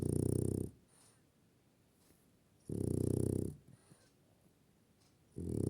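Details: French Bulldog snoring: loud, rasping, throaty snores lasting about a second each, recurring roughly every two and a half seconds, with quiet breathing pauses between them.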